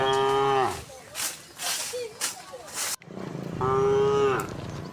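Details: Tame cows mooing while herded back to the pen through a village in the afternoon; two steady, strongly harmonic moos separated by rustling and footstep-like noises.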